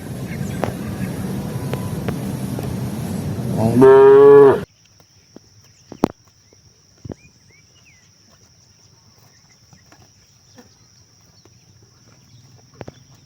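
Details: Cattle from a tame herd wandering rice paddies looking for grass; a single loud, steady, rich-toned moo about a second long after a stretch of background rumble, then near silence with a few faint knocks.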